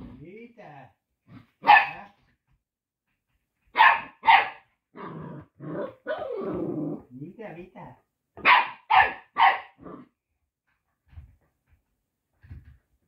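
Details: Newborn mixed-breed Labrador retriever puppies ("Teddy retrievers", aged from day one to nine weeks) cry with short, high, broken squeals and whines in uneven bursts.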